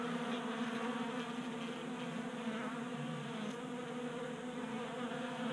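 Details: Honey bees at a table-top 3D printed feeder in Colorado on a 60-degree January day; steady, rich humming of many wings with faint fluctuating pitches and a small click midway.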